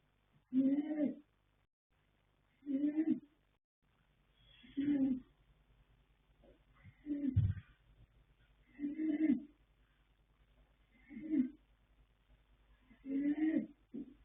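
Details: Yanta, a male foal born 21 January 2026 to sire Fast Force and dam Pink Blossom, snores while asleep. Seven rough, low breaths rasp out at a steady two-second rhythm, with faint soft thumps between and little else audible.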